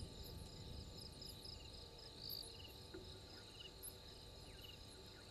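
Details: Night insect chorus at 03:44 on 12/04/21, Gowrie dam waterhole, Djuma Game Reserve, Sabi Sand Wildtuin, South Africa: a steady shrill high trill with short pulsed chirps layered over it, above a low, noisy rumble.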